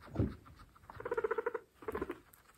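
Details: Pregnant female guinea pigs eating fresh grass; a low grunt, then a quick run of about eight evenly pulsed chuttering notes, a short pause and a shorter burst of four, over faint chewing.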